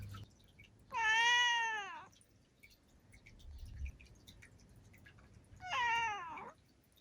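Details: Black female domestic cat, seven years old, meowing indoors: two clear, drawn-out harmonic meows about one second and under one second long, separated by quiet with faint dripping sounds.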